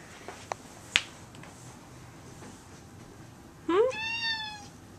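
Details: Domestic cat indoors after dark, wanting to be let outside: a few soft clicks and taps, then one drawn-out harmonic meow that rises and then holds steady near the end.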